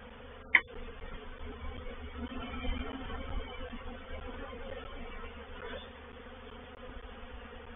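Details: A reproductive honey bee swarm moves into a swarm trap at Painted Peacock Manor, 04/07/21; a fluctuating buzzing drone rises and falls as bees pass close, after an early sharp click.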